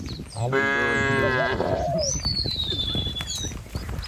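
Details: A single full, steady moo lasting about a second from a herd of cattle driven along a village road past rice fields, followed by a thin whistled bird note and soft rustling.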